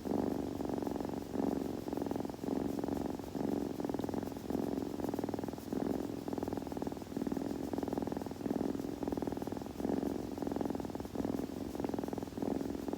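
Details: Purring kitten recorded up close for ASMR, a low fluttering drone rising and falling with each in- and out-breath about once a second, even and unbroken, with no other sounds.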